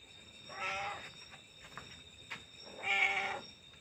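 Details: A cat gives two drawn-out, harmonic meows about two seconds apart, the second louder and slightly higher-pitched, over a steady high electrical whine and faint background hiss.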